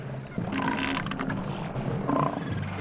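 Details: Southern elephant seal (Mirounga leonina) bull on South Georgia Island in mating season gives a deep, rasping, pulsed roar in two bursts, warning rival males in the battle for females.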